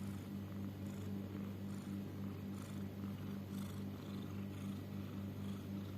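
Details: A house cat's snoring or wheezy breathing, possibly laboured: low constant droning rumble with rapid pulsing, and faint breathy puffs coming at a fairly regular pace.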